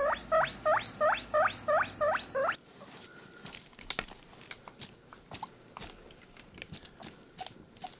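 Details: Contented pet guinea pig squeezed while drinking milk gives a run of seven loud rising squeaks, about three a second. Soft clicking and lapping patter with faint chirps follow.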